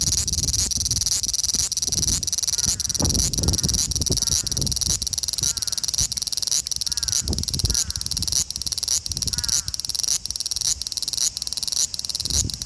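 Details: Male large brown cicada recorded in Osaka city, Japan, on 5 August 2019 with an Xperia XZ1 smartphone: a dense, high sizzling buzz pulsing roughly twice a second, with low rumbling thumps around the third and fourth seconds.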